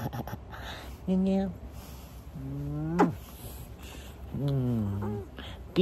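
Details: A pet cat in winter giving quiet, sweet meows while eating: several short, drawn-out harmonic mews, some rising then falling, spaced about a second apart, over a low background hum with a person's voice nearby.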